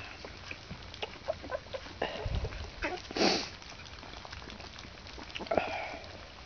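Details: Alaskan Malamute puppies, 14 days old, eating at a kennel: wet slurping and chewing with one or two faint high squeaks, including a brief louder rasp near the middle.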